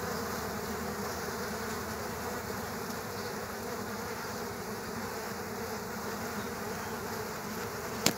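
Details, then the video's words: Killer hornets in a fight at a bee nest in the ground; constant layered buzzing of many wings, with one sharp click near the very end. "Multi killer hornet fight scene | Bee underground Nest"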